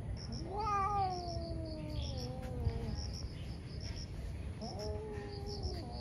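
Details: Two ferocious domestic cats fighting in the morning, caught on camera: long drawn-out wailing yowls sliding slowly downward, a second yowl rising after a pause, over steady crickets chirping in pulses and low background rumble.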